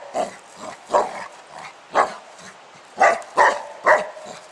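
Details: Pet dog named Spike playing outdoors with a 10 lb weight, letting out short sharp barks roughly every half second to second, seven distinct bursts, with faint background hiss.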